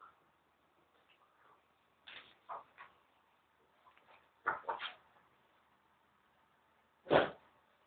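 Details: A French Bulldog gives short, scattered grunts and yips in brief bursts while playing, with quiet gaps between.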